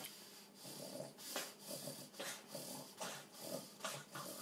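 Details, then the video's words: An epileptic two-year-old Boston terrier named Piper seizing at night in a small room, one of seven fits within three hours. Rasping snorts repeat about once a second over a steady hiss of heavy breathing. "Violent dog seizure"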